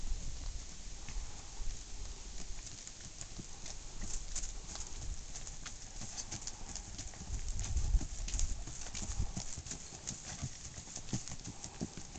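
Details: Long stretch of clip-clop hoof strikes from a Tennessee Walking Horse stallion, rapid uneven steps over low rumble that swells briefly near the end.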